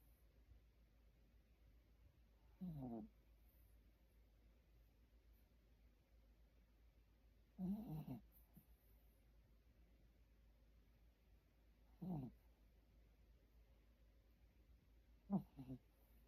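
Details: Pet dog asleep indoors, snoring: four short, rough, rasping snores roughly every four to five seconds, each under a second long, with quiet breathing between them in a still room.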